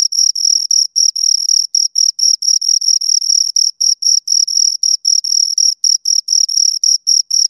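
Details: Close recording of two crickets making continuous high-pitched chirps, quick regular pulses near four per second separated by tiny gaps, alone in silence.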